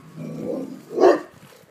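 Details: Pet Rottweiler reacting to a distant ambulance siren, as he always does when one sounds; a low, muffled grumble builds, then one short, gruff bark-like burst breaks out about a second in and fades.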